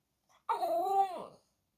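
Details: Female French Bulldog puppy "talking" to her owner in greeting: a single drawn-out, whining vocalization lasting about a second, tonal and bending slightly up then falling away at the end, in a quiet room.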